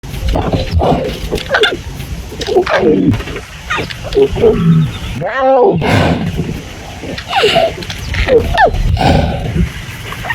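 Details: River Pride lion cubs sired by the Enkuyanai Males, Mara North Conservancy, Maasai Mara, Kenya, making hoarse, raspy squeaks: a string of short, scratchy harmonic cries, some falling in pitch, over a steady low rumble.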